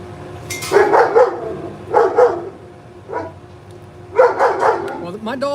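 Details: A female pet dog barks at squirrels outside during a live stream. Four bursts of sharp, harmonic barks come about a second apart, some doubled, with a man's voice and workshop sounds nearby.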